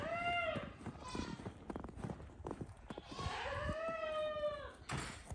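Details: Goats bleating inside a barn at night during a snowstorm, at evening chores, demanding their grain: two drawn-out, wavering, nasal bleats, the second longer and arching, with knocks, shuffling and clatter between them.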